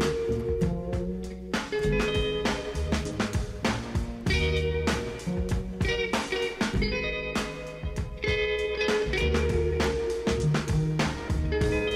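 Only music is heard, a band with guitar, bass and drums, with no animal sound.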